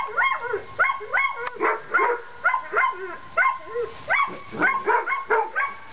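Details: Seven-week-old Collie pups at outdoor play time: a run of high, yelping whines and squeals rising and falling in pitch, about a dozen short cries from several pups, overlapping and irregular.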